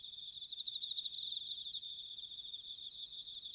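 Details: Autumn bell cricket song recorded in Sanuki, Chiba, Japan: a louder, bell-like pulsed trill rises out of a high steady insect chorus for about a second, then fades back into the continuous shimmering background.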